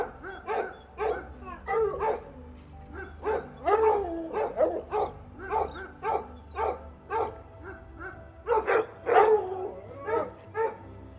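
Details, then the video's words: Domestic dog barking in rapid, irregular bursts, roughly a dozen and a half sharp barks over eleven seconds, some doubled, over a steady low hum in the background. "Som Do Cachorro Latindo"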